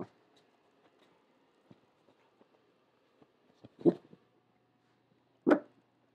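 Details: Cooper, a corgi puppy, resting indoors in a quiet room, gives two short, sharp barks about one and a half seconds apart after hearing a noise outside; faint soft thumps sound between them.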